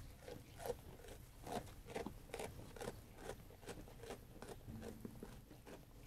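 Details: Sheep eating food, rhythmic crunchy bites a little over once a second, each a short broad click, over quiet low background noise.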